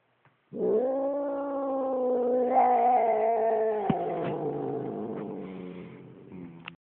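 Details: Upset domestic cat growling at its owner: a long, loud, drawn-out yowling growl with rich harmonics, rising slightly then slowly falling, with a few faint clicks near the end.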